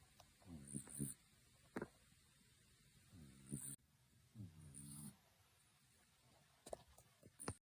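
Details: Kitten Tenchan snores heavily, in a way likened to an old man; three short, low, buzzy snoring bursts with layered harmonics, each under a second long, between stretches of soft background hiss and occasional clicks.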